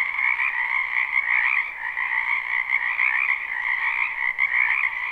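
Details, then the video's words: Many frogs croaking in a spring wetland behind a house, recorded live: a dense, continuous chorus of overlapping trills in two steady bands, high and low, with gentle swells in loudness and no other clear sounds. "Ambient Noise for Sleep Frogs Black Screen"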